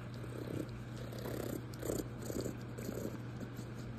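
A raccoon purrs with a low, steady rumble that swells in soft pulses, much like a cat.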